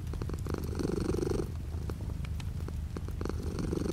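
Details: Cat purring indoors while light rain falls outside the window; low continuous rumble rising in a strong breath swell, easing, then building again, with faint rain patter behind.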